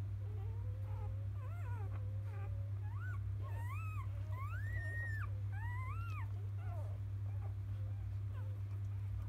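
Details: Newborn field-type Labrador Retriever puppies, born to the 2017 JFA Grand Champion biscuit, whimpering in the morning after nursing; high, thin arching squeals rising and falling, several overlapping, over a steady low hum.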